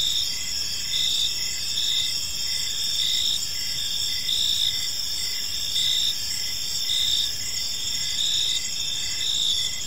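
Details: Crickets chirping in a park on an evening, a dense high chorus of steady pulsing trills layered over one another, with a fainter rapid dashed chirp beneath and low rumbling background noise throughout.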